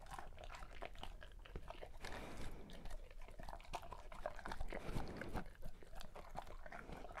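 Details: Birthday feast for a Great Pyrenees: dense, irregular crunching and wet chewing, sharp bite clicks about three per second, louder bursts in the middle, recorded close in a small indoor room.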